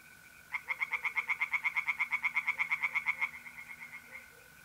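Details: Tree frogs singing by a pond on an April night in north-east Italy: a fast, regular run of rapid nasal pulses lasting about three seconds, over a steady high trill of mole crickets.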